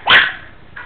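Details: Nine-week-old Yorkshire Terrier puppy yapping on its owner's spoken command: a single short, high, sharp yap, followed by quiet.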